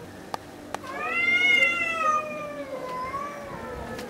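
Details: Red male cat defending territory on the Greek island of Spetses gives one long drawn-out yowl that rises slightly, holds, then sags and wavers toward the end, after two faint clicks.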